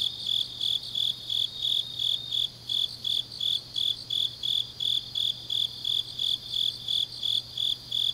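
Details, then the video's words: Grass insects singing on an autumn night in Changnyeong, South Gyeongsang, Korea; steady high-pitched pulsed chirps follow in quick regular succession, layered over a dense, quieter buzzing of other insects and a soft low hum. "깊은밤 가을 풀벌레 소리"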